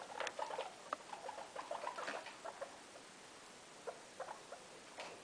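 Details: Guinea pig mother with her three young indoors in a room: short squeaky chirps and soft chattering in quick, irregular bursts, several per second, then sparser squeaks over a steady background hiss.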